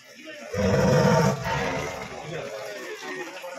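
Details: Tiger from Cheeral in Wayanad, caught and held in a cage, lets out a short, deep, growling roar of under a second that trails into rougher low rumbling, with men's voices talking over and after it.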